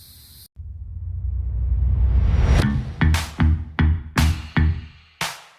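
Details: Electronic music builds in a rising sweep, then breaks into punchy drum-machine hits, with no insect squeak audible.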